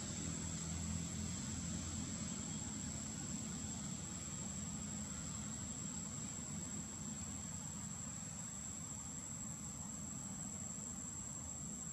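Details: Quiet, even hiss with a low hum and a thin constant high whine throughout, no animal calls.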